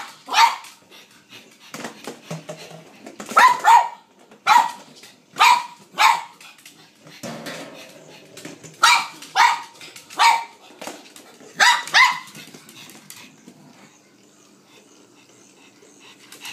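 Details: Blind female pug eager to play fetch indoors with a battery-operated ball she follows by its noise; a run of loud, evenly spaced barks, roughly one per second, then fading to quiet room sound.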